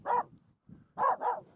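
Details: Aamu, a Finnish Spitz, barking at two nearby reindeer during a snow crossing on the climb up Mulen; a single bark followed after a gap by two rapid barks in a row.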